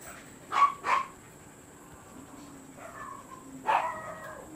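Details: Siberian Husky at a kennel, filmed during a stud service session: two quick sharp barks close together, a pause with a faint lower whine, then one more bark, harmonics stacked clearly. Steady high background hum throughout.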